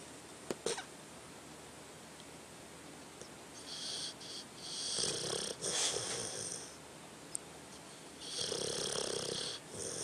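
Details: Tucker, a pet dog, snoring while asleep: slow, breathy, hissing inhalations with a low rasp, each drawn out over a second or more and separated by quiet pauses, plus a couple of sharp clicks near the start.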